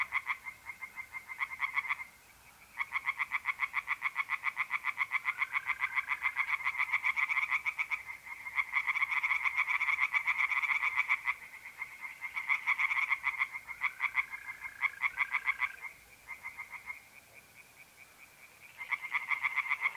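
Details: Chorus of singing tree frogs in a pond on a mid-April night in north-east Italy: fast, harsh, rattling pulses in long runs with short pauses. Smooth, steady trills of mole crickets sound underneath.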